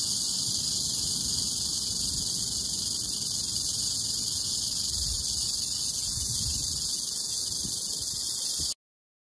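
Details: Western diamondback rattlesnake seen up close in Oklahoma, giving a continuous dry, hissing buzz that holds steady for nearly nine seconds and then stops abruptly.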